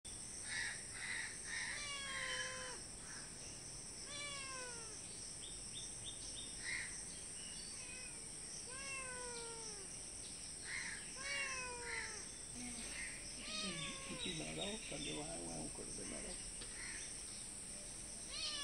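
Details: Several cats meowing for food outside a house, some from a wall and others by the front door; repeated drawn-out descending meows with rich harmonics, overlapping voices, steady hiss in the background.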